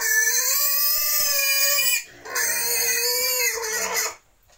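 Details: A pig on a pig-breeding farm in Cambodia gives two long, loud, shrill squeals, each lasting about two seconds.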